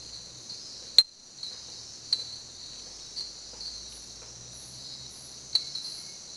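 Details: A common tink frog (Eleutherodactylus diastema) gives sharp, loud, metallic single 'tink' notes at night in the jungle at La Kukula lodge, over a steady, high insect drone.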